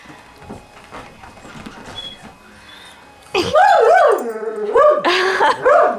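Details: Pet dog whining and yowling indoors while playing with a cat: after three seconds of quiet murmuring, loud arching whine-howls with rich harmonics rise and fall, a short gap, then another drawn-out wavering howl.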